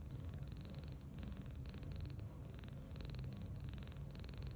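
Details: Snoring softly, belly-up on a bed, the 39-day-old rescued kitten Tange makes rhythmic, purring rattles. They come in regular bursts of about half a second with short pauses for breath between them.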